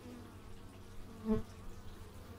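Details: Bee buzzing captured through an x/y stereo microphone outdoors; a single insect zips past at mid-clip in a brief loud hum, otherwise a soft, low background drone.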